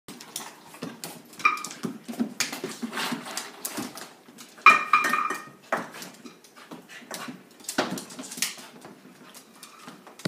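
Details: Havanese dog indoors, excited at meal time and jumping; brief high whining yelps near the start and again midway, over loud clattering dishes, cutlery knocks and scrabbling, thumping movement in a small room.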